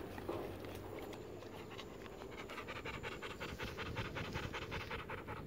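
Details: A docile pet American Pit Bull Terrier in Maceió, Alagoas, Brazil panting steadily, quick breathy in-and-out puffs close to three per second, evenly spaced and sustained throughout, with a faint low hum behind.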